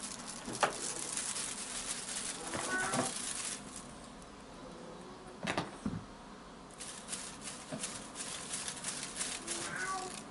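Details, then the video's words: Ronnie, a female blue British Shorthair kitten eight months old, born 6 July 2020, chatters and chirps: a few short harmonic chirps near the start, with brief high chirps toward the end, among soft clicks and rustling. "British Shorthair Blue Kitten Ronnie Chattering"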